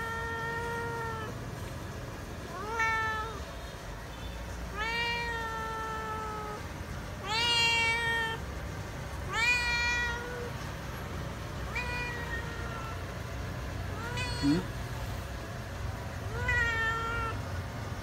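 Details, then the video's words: Feral cat waiting to be fed and still afraid of people, meowing repeatedly: long level or slightly falling harmonic meows every two seconds or so, a few louder and higher, with faint low background rumble. "ĂN KHÔNG ĂN CỨ KÊU MEO MEO"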